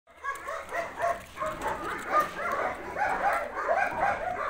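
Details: Several Belgian Malinois puppies yapping together in quick, overlapping high yips and small barks, a busy irregular chorus of short bursts with no clear pauses between them.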